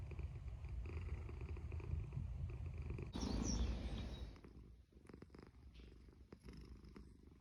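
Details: Low, steady rumbling snores from a sleeping cat in rapid rhythmic pulses, broken by a burst of louder rustling noise midway before a quieter stretch with faint clicks.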